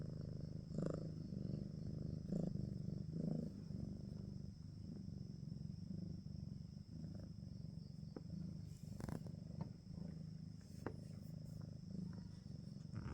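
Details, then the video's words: Steady low purring from a domestic cat, a dense rhythmic rumble that holds throughout, loudest early on, with occasional light taps and rustles. "Suara kucing mendengkur membuat kita rilex"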